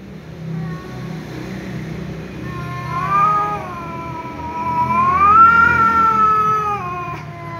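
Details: Angry tom cat yowling because a ginger cat keeps meowing; quiet low murmurs build into a long wavering caterwaul that swells and rises in pitch before fading, with low rumbling background noise.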